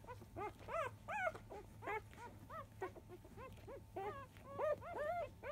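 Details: Five-day-old field-line Labrador Retriever puppies at 10 a.m. nursing, born to Biscuit, 2017 JFA Grand Champion; rapid arched squeaky whimpers, rising then falling, several overlapping and repeated about twice a second, with a low steady hum beneath.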